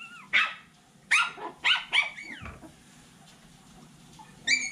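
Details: Lizzy's Poodle pups at seven weeks, January 2024, give clustered high-pitched yelps in uneven bursts, a sliding whimper trailing off midway, then a bright squeaky yip at the end; faint hum underneath.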